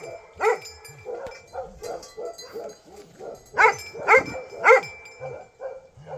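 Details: Nepali Bhote Kukur dog. One loud bark opens, then comes a string of quieter yaps and a burst of three strong, ringing barks about half a second apart.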